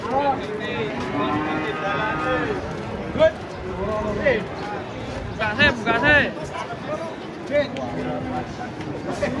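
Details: Giant cattle jumping down from a truck; harmonic lowing calls mixed with lively human speech and shouts, a few short sharp knocks, the moos brief and varied in pitch.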